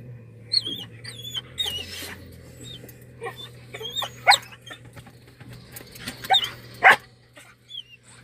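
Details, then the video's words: Dog whining inside a car, wanting the window opened: high, wavering whimpers with pitch bends, repeated in short bursts over a steady low engine hum, with sharper yelps near the end. "dog whines till we open the car window"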